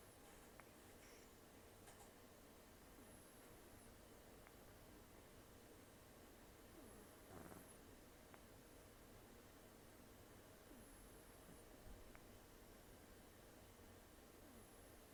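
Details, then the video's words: Sleeping rescued cat Taro, about 10 to 14 years old, taken in October 2024 after long outdoor life, nearly toothless, snores with rough nasal breathing: faint hissy whistles recurring every few seconds over a low steady room hum. "ねこのいびき 猫 いびき"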